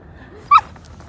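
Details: Yuriko, a female Siberian Samoyed puppy, four months old, on a morning leash walk in a snowy park: one short sharp yip, briefly rising, over quiet background.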